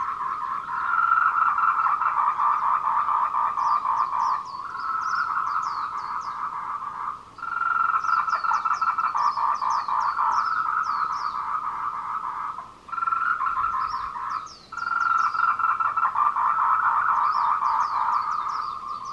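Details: Tree frog courtship calling at 14:00 on 26 April 2018, Meiling Wulong trail, Nanxi, Tainan, Taiwan, recorded with a Canon PowerShot SX720HS: bursts of rapid, buzzy pulsed croaking separated by short gaps, with high upswept chirp series between.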